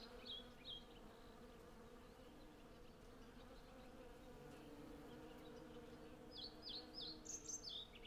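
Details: Hundreds of honey bees collecting honey from a blossoming cherry tree, recorded with a Zoom F6 and Sennheiser MKH 8040: a steady low droning hum throughout, with short high bird chirps early on and a cluster near the end.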